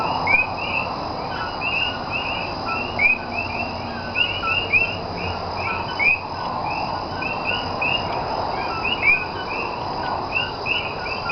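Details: Common coquí, the frog native to Puerto Rico, heard at night in Cayey on 28 January 2010: numerous clipped, upswept whistles tumble over one another in a busy chorus, with a steady background hum.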